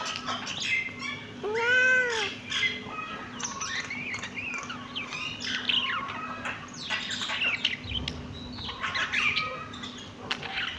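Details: Kitten giving one clear, strongly arched meow early on, then a run of quick, chirpy squeaks and scuffling noises over a steady background hum.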